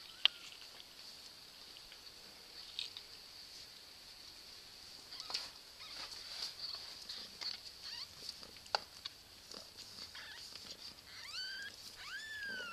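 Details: Cat in a funny cat compilation, giving two short high meows near the end, each rising then falling, over scattered clicks, taps and a steady high-pitched whine.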